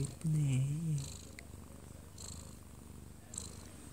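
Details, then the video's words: Sleeping odd-eyed Munchkin cat, one year two months old, cradled by its owner; a brief voice from the living-room television opens, then a low continuous purring rumble carries on. "아빠 품에서 자는 꼬부기 골골이 - 1살+2개월 오드아이 먼치킨 고양이"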